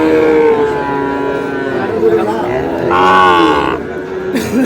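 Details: Lowing at a Noakhali cattle market on 24 April, where a Sahiwal bull calf is bought; a strong, bright moo rises then fades late in the clip, over murmuring crowd and bargaining voices.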